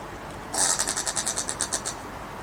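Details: Brushtail possum filmed in Queensland, Australia, making strange noises: a harsh, rasping series of roughly twelve quick pulses, loudest at the start and then evenly repeated for about a second and a half before stopping.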